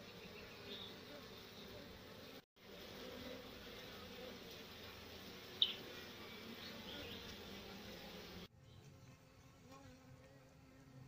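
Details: Asiatic honey bee (Apis cerana) colony without a queen, being given a comb holding a queen cell: a steady, hissing hum of many bees, with a break near 2.5 seconds, one sharp click, and a quieter, thinner stretch at the end.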